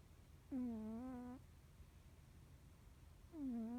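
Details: Deeply sleeping Norwegian Forest Cat giving loud, tonal snores with rich harmonics, the first lasting almost a second with a slight wavering pitch, the next starting about three seconds later; faint room hum underneath.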